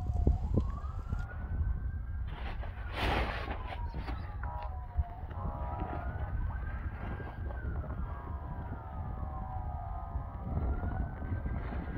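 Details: A wailing siren rises and falls repeatedly over a low traffic rumble, with a burst of broadband noise around three seconds.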